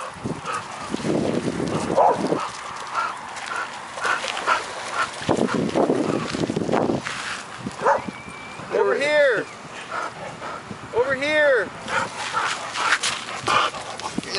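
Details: Dog at a dog park, giving two loud, arched, yelping barks a couple of seconds apart late in the recording, with people talking almost continuously and outdoor rustling in the background.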